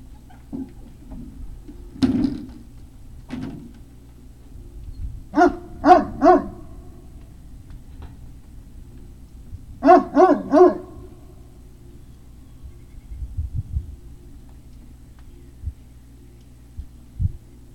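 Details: Great Dane puppies at Puppy Hill, recorded 3 May 2019 around 17:06. A single bark is followed by two tight bursts of three quick, tonal yelping barks, separated by quiet stretches with a low background hum and soft thumps.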